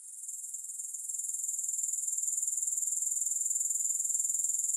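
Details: Grasshoppers in a long relaxation recording without music: a thin, very high-pitched pulsing trill, rapid even beats that swell in loudness over the first second and then hold steady, with no other sounds.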